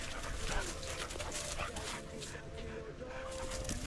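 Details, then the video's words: Several huskies play fighting with each other. Steady, thin whining tones are drawn out and repeated over a busy background of scuffling and panting noise. "Huskies play fighting with each other!!"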